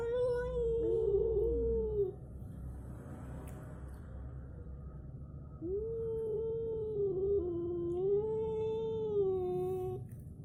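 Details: Fight between an orange cat and a striped tabby cat, heard as long, steady, nasal yowls, one wavering howl of about two seconds, a pause, then a second drawn-out wail lasting over four seconds.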